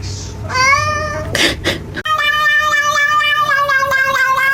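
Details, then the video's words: Cat in a cat fight, from a funny pets compilation: drawn-out, wavering yowls with a strong tonal harmonic stack, one rising cry, then a long sustained wail, with faint background music. "Cat Fight"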